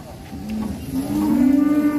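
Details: A black cow ahead of Idul Adha, likened to the giant Grandong, gives a single rising, drawn-out moo that swells louder toward the end.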